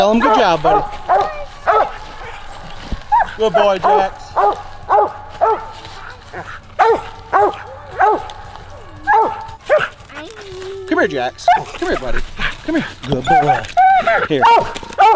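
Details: On a coon hunt, the mountain cur Jax and the walker female Cece bark steadily, nearly two sharp harmonic barks a second in uneven runs. Voices of the hunting family mix in throughout, with a low rumble under parts of it.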